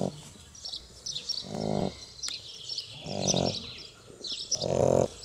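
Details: Two Shar Pei puppies asleep after a hard day of playing, snoring in deep, harmonic rasping breaths roughly every one and a half seconds, with faint high chirps in the background.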